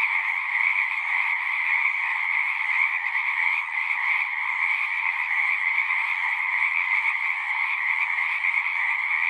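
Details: Pond frogs in a horse pasture singing together, Zoom recording: a thick, even chorus of high-pitched trills, steady in loudness, lasting the full stretch without gaps or other noises.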